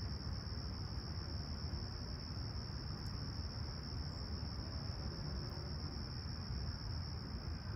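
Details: Crickets at sunrise on a clear, calm summer morning, July 28, 2020, at Humber Bay Shores, Toronto, about 20ºC: one steady, high, unbroken trill holds throughout over a heavy low rumble of distant traffic or wind.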